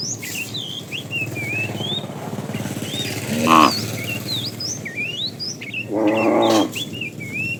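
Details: Tame cows being herded on their morning trip to green grassy fields. Two short, nasal moos come a few seconds apart, the second longer and fuller, amid constant chirping and whistling of small birds.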